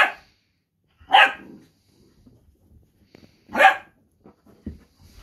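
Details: Dachshunds vocalising to each other during rough and tumble play indoors: loud, harsh barks at about one and three and a half seconds, with quiet scuffling between them.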